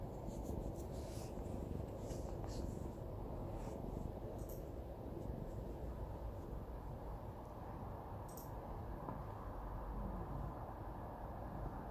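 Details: Quiet indoor room noise with a low steady hum and a few soft scratching clicks, no animal voice heard.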